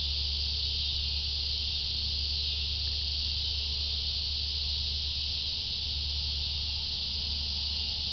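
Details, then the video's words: Cicadas keep up a constant high, sizzling buzz throughout, accompanied by a steady low-pitched rumbling hum underneath. "Cicadas: part 2"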